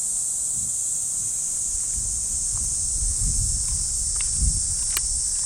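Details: Cicadas in the trees of a Japanese park on an early summer morning: a steady, high, hissing drone runs unbroken through the whole stretch, with soft footsteps and rustling along the path below it.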